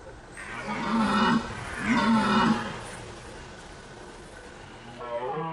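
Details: Rutting red deer stag, aggressive and restless among watchful rivals, gives two long, deep, rough bellowing roars about a second each with a short gap between, followed by quieter background and a faint further call at the end.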